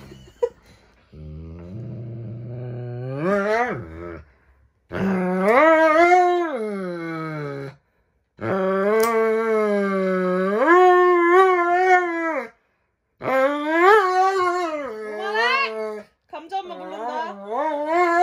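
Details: Pet Dobermann Roman protesting his yearly nail trim, exaggerating more than a Shiba: low grumbling rises into loud, quavering howls that climb and bend in pitch, repeated in several long bursts.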